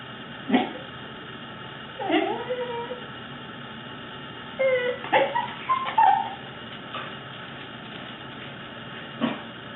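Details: Fluffy male pet Corgi making odd vocal noises: wavering, whiny, yodel-like tones that slide up and down, a drawn-out moan then a cluster of squeaky warbles, with soft clicks and a person talking nearby.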